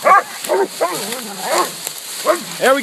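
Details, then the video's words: Pack of four coonhounds (walker pup, adult walker, black and tan, young bluetick) baying at a treed raccoon minutes after turnout; arched, ringing barks repeat roughly every half second with quieter drawn-out bawls between louder bursts. "New coon hunting spot. 2 walkers. Blue tick. And a black and tan"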